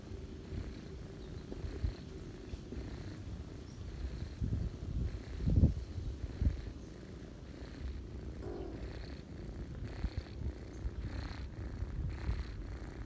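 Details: Ginger mother cat feeding her kittens while the family rests on a person's knees on a cozy autumn day; steady low rumbling purr with soft breathing pulses, louder in the middle, one brief higher murmur near the end.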